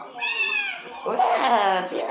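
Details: Bin, a pet cat now living apart from his owner, cries out and runs from a room on hearing her voice; a bright harmonic meow, then a longer wavering cry overlapped by a person's voice.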